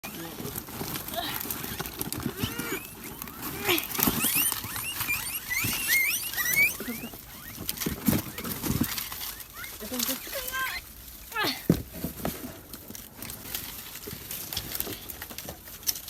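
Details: Guinea pigs (cuyes) kept for rearing, during cleaning and disinfection of their pens: many short rising squeals, bunched in a busy stretch mid-clip, mixed with talking and shuffling, rustling noises.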